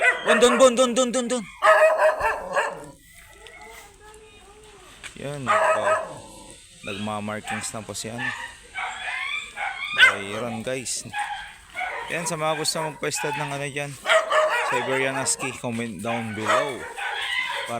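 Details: Siberian Husky at a stud (mating) session in Binalonan, Pangasinan, giving drawn-out, wavering whines with rich overtones in the opening seconds. Later, broken yips mix with people talking throughout.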